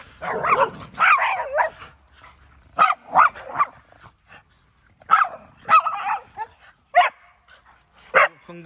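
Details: Excited dogs at a dog training school in Yangpyeong, South Korea, let out onto the playground on the morning of 2 October; repeated sharp barks in bursts, mixed with a trainer's voice telling them not to get excited.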